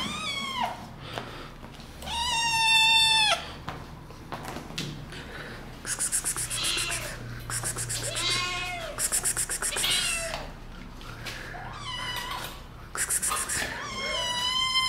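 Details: Playful kittens attacking a person, meowing repeatedly: a run of high, harmonic meows, some rising then falling, others drawn out and wavering, several overlapping, with rustling and scuffling between calls.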